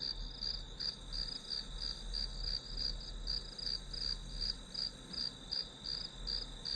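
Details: Grass insects trill in high, evenly spaced pulses close to three per second, a steady chorus over quiet low background hum.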